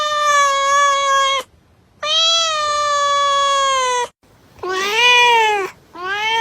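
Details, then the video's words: Cat meows meant to draw cats near: two long, steady, drawn-out meows of one to two seconds each, then a louder, wavering, rising-and-falling meow and the start of another, in a small quiet room. "Sounds that attract cats - Meow to make cats come to you"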